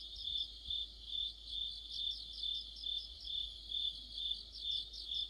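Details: High-pitched insect orchestra of crickets and friends in autumn near a streetlight; a constant ringing buzz rises and falls in regular beats about twice each second throughout.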